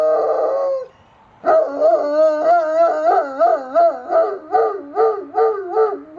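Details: Domestic dog howling at sirens in Austin, Texas, October 2009: a brief tonal howl, a pause, then a rapidly warbling howl whose pitch rises and falls in regular waves about three times per second.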